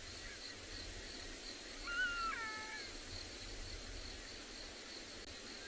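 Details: Black-backed jackals calling at sunset in Tswalu Kalahari Reserve, South Africa, on 13 December, possibly a family of three. A couple of faint, thin, descending wails stand out over a low rural hum.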